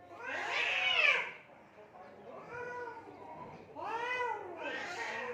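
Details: In Assam, India, cats fight by mud and water: a loud bending yowl opens, softer low moans follow, then two more arched wails rise and fall.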